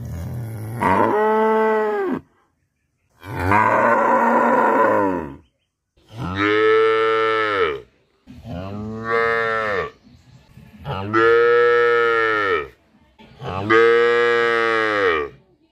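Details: Village cow in Bangladesh calling in its daily routine: six loud moos in a row, each lasting one to two seconds with arched, rising-then-falling tone, separated by brief pauses, fairly evenly spaced.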